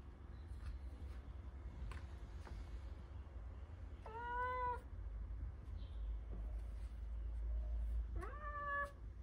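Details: Persian cat wanting to go outside, giving two drawn-out, harmonic meows several seconds apart, the second rising then level, over a steady low indoor rumble with occasional soft clicks.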